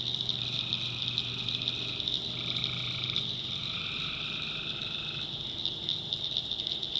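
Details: Tree frogs calling at night in a North Carolina backwoods swamp: a dense, shrill high-pitched chorus drones throughout, overlaid by longer buzzy trills, a lower one running about a second and another stretching several seconds, with a faint low hum beneath.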